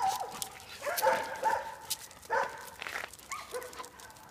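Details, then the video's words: Jack Russell Terrier getting a warm welcome from its friends: a run of high, tonal whimpers and short yips, some rising then falling, clustered in bursts around the first and third seconds, with rustling and scuffling between them. "Warm welcome to Jack russell by friends- Arkadaslari ndan sicak karsilama"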